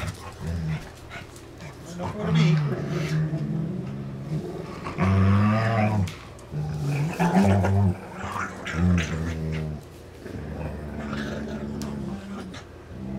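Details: Two pet dogs play tug with a rope toy, one also licking the other's teeth; low, rumbling growls with layered harmonics rise and fade in several long stretches, with brief quieter gaps between.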